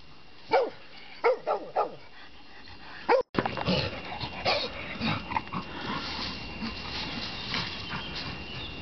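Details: Black Labrador Retriever, a rescued dog, barking during a game of fetch: four short, sharp barks in the first two seconds, then another bark, followed by rustling and movement noise.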